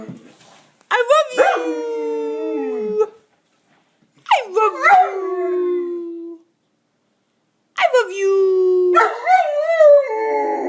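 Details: A 15-month-old male Bernese Mountain Dog talks back to his owner with three drawn-out, wavering howls, each starting high then sliding down and holding, separated by short silences, with brief human voice between.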